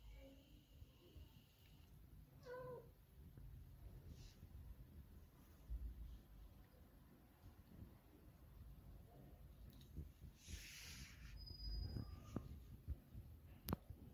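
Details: A pet cat gives one short meow about two and a half seconds in, a harmonic, slightly falling cry. The rest is quiet, with a low rumbling background, faint rustles and a few clicks.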